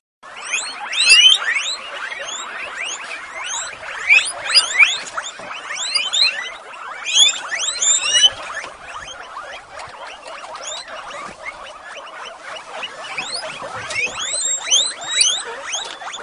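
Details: Female guinea pigs at Avalon Guinea Pig Rescue, excited at breakfast time, a chorus of many overlapping rising high whistled squeals repeated densely throughout, with shuffling underneath.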